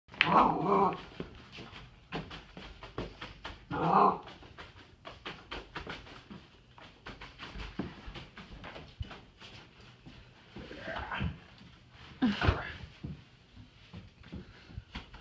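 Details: Pet dog indoors, unhappy as its toys are cleaned up, giving a few short loud barks near the start and again around four seconds, with softer scuffling and handling noise between and a later brief yelp.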